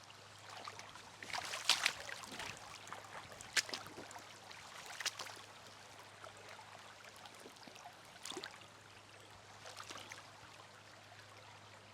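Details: Running water with scattered splashes or footsteps over a low steady hum; no animal calls.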